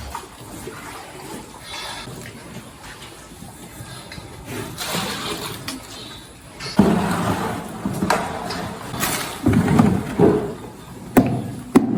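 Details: Rushing water and clattering noises with some voices, no animal calls heard.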